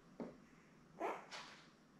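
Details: Newborn Labrador Retriever puppies, one of a litter of seven born May 24, 2021, with their mother Belle, on a live puppy cam. Three short squeaky yelps sound within two seconds, the last one higher and thinner, over quiet room hiss.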